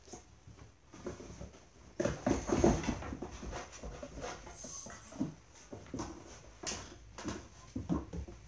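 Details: Dobermann puppies, six weeks or older, playing together in a kennel house built for socialisation training: soft whimpers, grunts and snuffling mixed with pattering paws and knocks on the floor.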